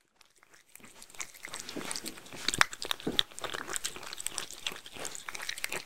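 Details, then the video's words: Mindy, a Shetland Sheepdog, eating homemade food indoors in a small room: after a brief near-silent start, steady wet crunching and biting clicks begin, irregular bursts about twice a second, with some sharper crisp snaps. "ASMR Dog #3 Eating Homemade Food (Shetland Sheepdog) Sheltie"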